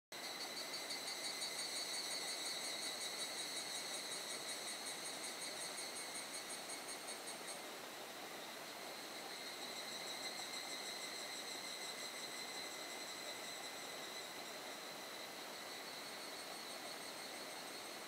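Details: Evening cicadas trill in steady, ringing pulses in a dense forest, over the constant hiss of falling rain.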